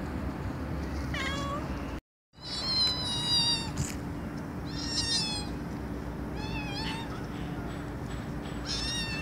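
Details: Compilation of domestic cat meows for attracting a cat: a string of short, clear meows, some rising, some falling, with a brief silent break early on and a faint steady hum throughout.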